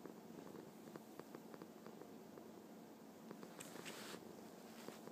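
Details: Domestic cat purring happily, an unbroken low rumbling buzz with fast even pulsation, interrupted midway by about half a second of brushing, rustling noise.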